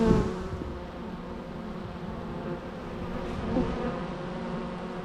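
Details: Continuous buzzing of bees, a layered low drone with faint harmonic bands, a brief louder pass at the start and another just after three and a half seconds.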